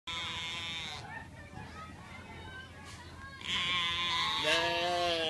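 A sheep gives rough, hoarse bleats, with a human voice heard between them.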